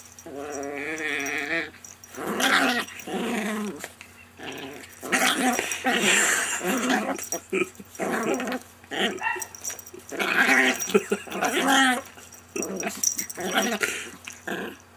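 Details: Friendly chihuahua named Rocco, a household pet, producing continuous talkative growl-whines: wavering, harmonic, moaning sounds in uneven bursts for fifteen seconds, some rising and falling in pitch, recorded in a quiet room.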